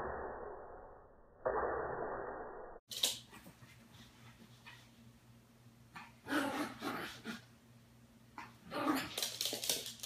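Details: Daisy, an adult Yorkshire Terrier, barks indoors while watching Puppy Bowl on television; muffled television sound opens, then sharp broadband barks come in bursts near the middle and end over a low steady hum.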